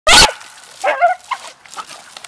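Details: Beagle and dachshund family dogs having fun in water: a single loud, sharp bark bursts at the start, followed by softer, scattered vocal sounds and splashing-like noise.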